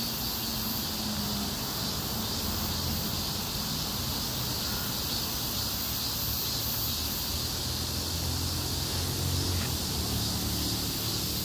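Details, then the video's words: Cicadas massed on a city street in scorching heat, giving a continuous high, even drone, with traffic rumbling beneath. "폭염속 매미들의 거리합창"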